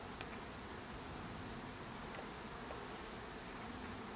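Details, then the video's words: Dense, even droning from a beehive, a thick low hum with no pauses, plus a couple of soft ticks. "Hive with bees"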